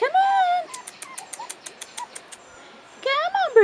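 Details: Young Rottweiler puppies, four and a half weeks old, on their first outing: one arching whine, then a steady series of soft clicks, then more rising-falling whines at the end.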